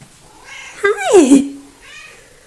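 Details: A single drawn-out meow from Coco, a little talkative house cat, recorded 3 February 2018: it rises then falls into a long, low trailing tone, followed by a faint softer sound.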